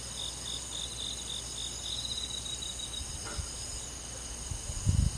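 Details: Summer-night forest insects led by crickets, a continuous shrill ringing chorus with a pulsed chirping strand early on, steady throughout, while soft low thumps and a brief rustle break in near the end.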